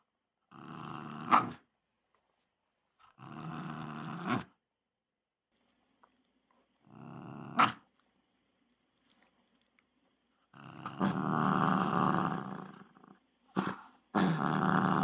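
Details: Shiba Inu stubbornly fixated on a ball, growling indoors: rough, low guttural growls in bursts of about one second, separated by short silences, with a longer, louder rumbling stretch near the end.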